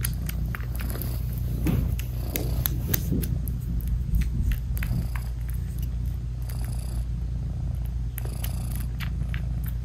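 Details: British Shorthair mother cat purring as she nurses and cuddles her tiny newborn kittens indoors: a constant low rumbling purr, accompanied by repeated faint clicking and suckling noises from the kittens.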